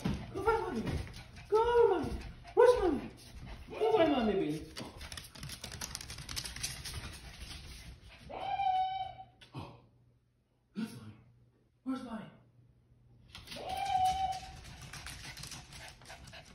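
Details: Indoors during a hide-and-seek game, Bailey the Lhasa Apso gives drawn-out, steady, high whines, one near the middle and one near the end, after a woman repeatedly asks where Mom is.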